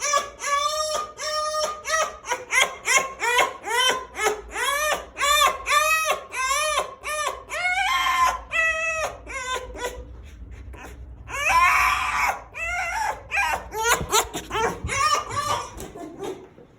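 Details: In Russia, a fox pours out quick, high-pitched whines and yips, each arching up then down, several per second. Breathy squeals and chatters follow near the end: an eager greeting as a woman opens the door and then pets it.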